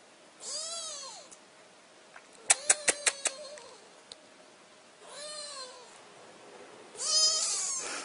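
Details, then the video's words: Kitten just woken from sleep, giving high rising-then-falling meows, three spaced calls a couple of seconds apart, with a burst of sharp clicks or taps between the first two. "Anak Kucing Baru Bangun Tidur"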